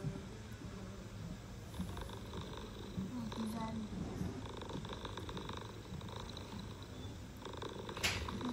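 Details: Istanbul street mother cat purring while talking to her kittens: a low pulsing purr throughout, a few brief higher vocal glides over it, and quiet human talk in the background.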